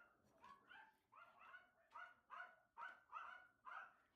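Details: Three male Toy Fox Terrier puppies from one litter give a quick run of high, short yips and whimpers, repeating roughly every half second, each note bright and slightly rising.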